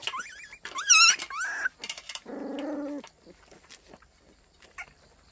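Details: White Baekgu puppies giving a morning greeting in Cheongdo: high wavering whimpers that slide up and down, a few sharp squeals, then a lower drawn-out moaning whine, followed by faint scattered clicks and rustling.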